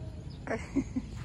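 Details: Tyrion, a Boxer dog, frightened of statues: a short muffled bark followed by two brief low whimpering yelps, over a steady low background rumble.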